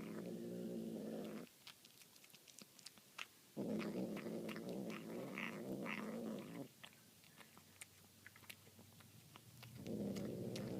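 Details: A domestic cat eating tuna gives low, droning growls in long bursts, with sharp chewing clicks between them.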